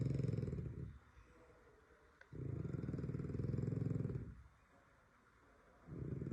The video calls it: french bulldog snores like my grandma's refrigerator